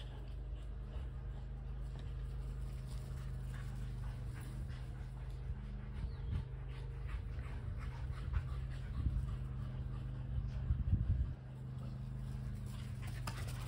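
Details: Kelpie cross and Border Collie panting while chasing a tennis ball; soft, quick airy breaths run throughout, louder toward the end, against a constant low-pitched drone.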